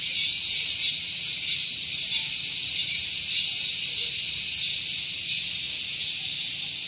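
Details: Cicadas calling on a morning at Gunung Geulis, Bogor, West Java, beside a parking area: a piercing, continuous high hiss-like buzz with loose, uneven pulsing and no other clear sounds.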